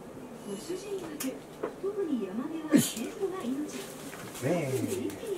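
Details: Shiba Inu Chie, excited at play time on 3 March 2020 after not playing for a while: twisting, warbling moans sliding up and down, a sharp burst midway, then a falling whine.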